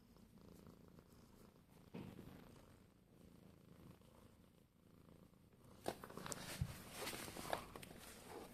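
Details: Domestic cat purring, happy to see the person nearby. A soft, steady low rumble pulses throughout, with rustling and handling noises growing louder in the last few seconds.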